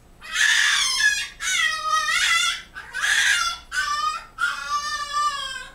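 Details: A 7-week-old French Bulldog puppy named Lou, screaming indoors when his owner is out of sight: five loud, high, harmonic-rich wails, each about a second long, with short pauses between them, in a small room.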